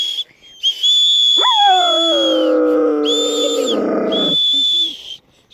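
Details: Caucasian Shepherd Dog singing along as children blow a whistle: a loud howl leaps sharply upward, then slides slowly down and holds for about three seconds, among repeated shrill, steady whistle blasts before, during and after.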